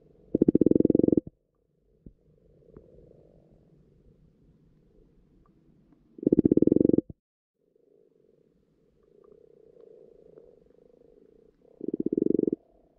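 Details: Frogs croaking in a garden pond at spawning time, recorded underwater: three loud low purring croak bursts, each about a second long and spaced roughly every five to six seconds, with soft quieter churring between them.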